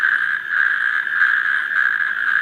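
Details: A male natterjack toad in the UK gives a loud, continuous, steady rattling trill. Only males call, and this species has a single central vocal sac.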